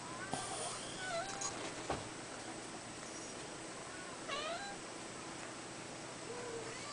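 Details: Young red Abyssinian tomcat of five weeks giving a few soft, high mews, one early and a clearer stacked meow partway through, against a quiet indoor background with faint hum and a brief thump.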